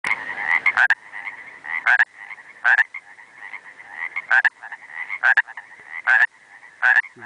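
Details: Pacific tree frog (Pacific chorus frog) calling in the Trinity Alps Wilderness, Northern California, on 4 July 2005. Loud two-part raspy croaks repeat about every second, with a softer steady chorus of trilling calls between them.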